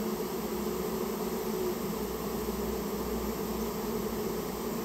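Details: Removal of a Japanese honey bee nest from inside a storehouse: a thick constant buzz of the colony, faint tonal lines wavering within the hum, plus a low rumble underneath.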